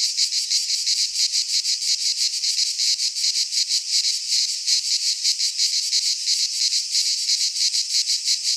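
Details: Cicadas sing in midsummer in a Greek pine forest: a dense, high, hissing buzz that throbs in quick, even pulses without a break.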